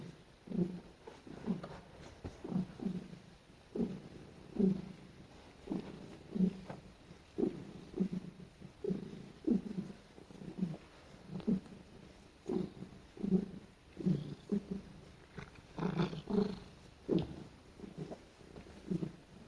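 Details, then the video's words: Pet cat, female, snuggling and being petted indoors; steady rhythm of short low grunting purr pulses about every second, growing slightly stronger toward the end with a few brief higher chirps. "Cat Makes The Cutest Noises While I Pet Her"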